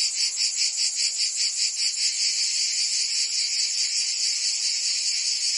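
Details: In Provence, France, cicadas sing on a summer day: strong rhythmic pulses of high buzzing early on that smooth into a steady, unbroken drone.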